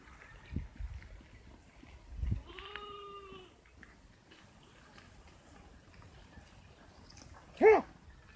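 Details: Sheep from Mandi district, kept by a trader who sells them at market for meat, give a steady, wavering bleat followed later by a brief, sharp cry.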